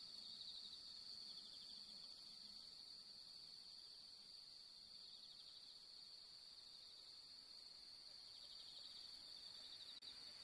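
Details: Bell crickets singing on a long autumn night of the fifteenth-night moon among pampas grass: a steady high ringing trill with rapid pulsed chirps layered over it, continuous and even, faint low hum beneath.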